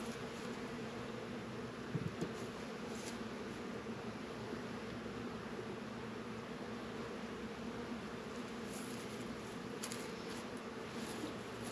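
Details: Honey bees working at their apiary hives on a warm 72-degree February day in northern Kentucky: a steady, low, droning hum holds without a break, with a few faint rustles and soft taps above it.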